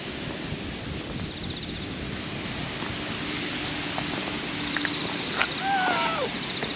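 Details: Orange-and-white stray cat that moved from a pond side into a Western-style garden in a park; a short, falling, tonal meow arrives near the end over steady outdoor wind and rustling.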